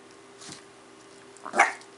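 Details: A 10-week-old female Miniature Pinscher puppy gives a single sharp, high bark on the command "speak" while doing tricks, with a person speaking just before.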